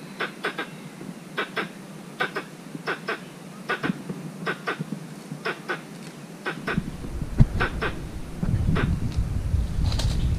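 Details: In a mango orchard, a squirrel calls for a mate with rapid, sharp chattering chirps in twos and threes, steady through the first half, then a rumbling low noise rises behind the later calls.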